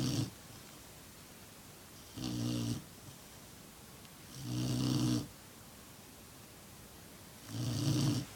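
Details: Black Lab puppy, six months old, asleep and snoring: four rumbling, breathy snores at irregular intervals of about two to three seconds, each with a low vibrating tone and airy hiss, in a quiet room.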